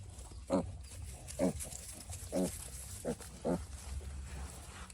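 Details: A sick piglet, unwell since little, utters five distinct nasal grunts with a squealing edge, spaced about a second apart, against a constant low hum.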